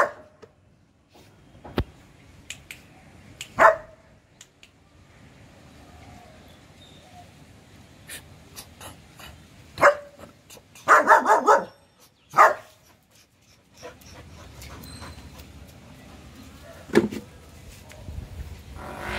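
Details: Gabbar, the four-month-old double-coated German Shepherd puppy, gives scattered sharp barks with long quiet gaps, including a fast cluster of several barks near the middle and a final single bark toward the end.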